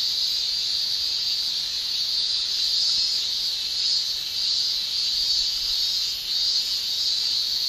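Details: Male cicadas shrilling in a Japanese summer: a steady, dense high-pitched hiss held without a break, gently swelling and easing every couple of seconds.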